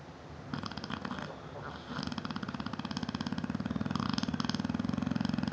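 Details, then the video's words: A sleeping 7-year-old female Neapolitan Mastiff named Bella snores indoors; a low, rough, fluttering rattle grows steadily louder over several seconds, with faint clicking texture. "NEAPOLITAN MASTIFF SNORING"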